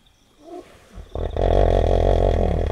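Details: Wild hippopotamus by a river at night in Kafue National Park, Zambia, African bush: a soft low rumble, then a sudden loud, deep, sustained roaring bellow lasting over a second and a half.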